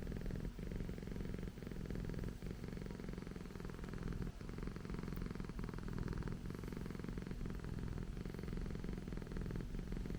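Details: Persian cat named Okayu purring at home, a steady low rumbling drone with rhythmic pulses, breaths audible as slight dips about every second or two, no other clear sounds.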